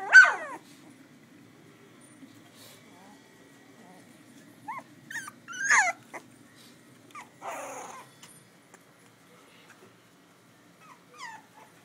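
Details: Pitbull cross x Belgian Malinois puppies, a litter of eight born May 19, 2011 in Butuan City, recorded on an iPhone: a loud opening squeal, then scattered short yelps and falling squeaks separated by quiet gaps, with a faint low hum.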